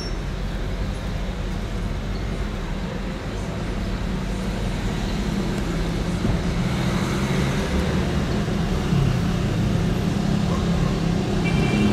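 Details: Continuous road traffic roars throughout, a dense low hum of cars and buses with faint voices beneath it.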